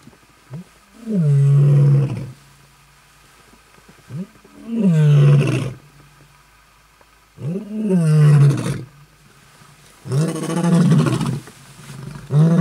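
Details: Lions marking territory in Kruger National Park, South Africa, August 2012: four deep, rumbling roars with rich harmonics, each lasting a second or more and spaced two to three seconds apart.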